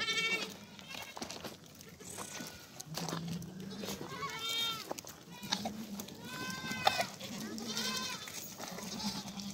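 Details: Baby goat kids meeting, scattered wavering bleats rising and falling, several overlapping near the end, over a steady low murmur of background voices and farmyard noise.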